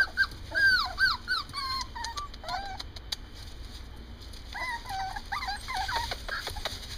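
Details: Two Morkies, a Maltese and Yorkshire Terrier cross, giving high thin whimpers and whines, wavering and rising-falling, in clusters at the start and again after a short pause, with a steady background tone.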